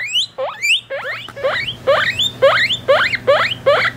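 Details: Close, loud squeals from three-week-old guinea pig babies kept with their mother: each call a sharp upward-sliding whistle, about two and a half per second, evenly spaced.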